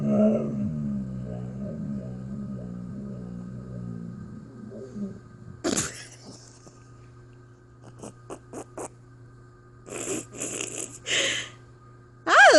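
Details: Blizzard the husky, known as a talking dog, makes wavering, moaning vocal sounds for about four seconds, with a steady low hum behind them; later come clicks, rustles and brief bursts of a woman's voice.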